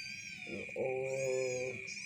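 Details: A cat called Black, fresh out of a cave with a dark-stained head, gives a low, drawn-out, nasal meow lasting about a second, set against a continuous high-pitched background tone.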